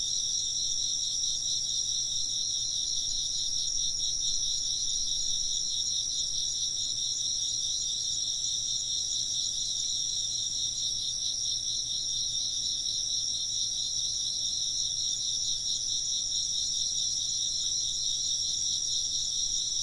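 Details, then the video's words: Insects chirp together in a thick, shimmering chorus of fast-pulsed high trills stacked at several pitches, steady and uninterrupted from start to finish. "風鈴の音と虫の声 - wind chimes and chirping insects"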